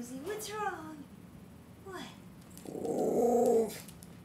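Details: A female Basenji, asked what's wrong, complains in warbling, yodel-like moans that rise and fall, ending in a drawn-out grumble.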